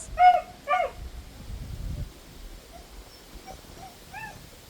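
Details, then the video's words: A lone dog behind a fence near a house, crying and howling; two loud arched whining cries open the recording, followed by a few faint, scattered whimpers over a low background rumble. "Why Is This Dog Crying?"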